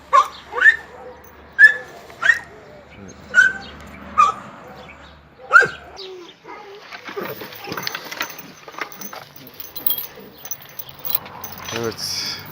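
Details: Oscar, a red-nose pit bull, brought together again with Müdür, a chocolate red-nose, for mating. Short high whining yelps repeat about once a second for six seconds, followed by rustling, handling noises and faint voices.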